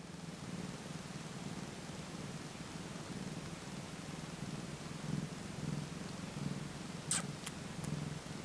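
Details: Two-day-old Tonkinese kitten purring, a faint, strange ticking sound. Soft low rumble pulses steadily throughout over a hiss of background noise, with a few brief sharp clicks near the end.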